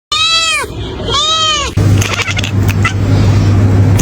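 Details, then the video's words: Kitten making odd sounds: two short meows that arch and fall in pitch, followed by a burst of loud rustling and handling noise. "Oh My Kitten! The Odd Sounds That'll Make You Laugh"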